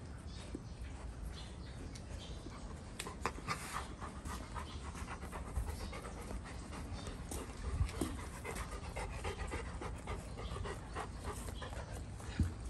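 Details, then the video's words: Pregnant Golden Retriever Goldie after rough play with Apollo; continuous fast panting with faint clicks and a few louder knocks. "STOP excessive rough play between 2 Golden Retrievers"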